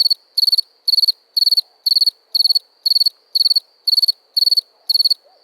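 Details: Shrill cricket chirps repeated at an even pace, about eleven short bursts, each made of several rapid pulses, with nothing else audible.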